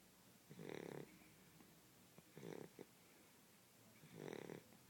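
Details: Small blue Shar Pei dog asleep and snoring, quiet close recording; three rasping breath snores about every one and a half to two seconds over a soft hiss.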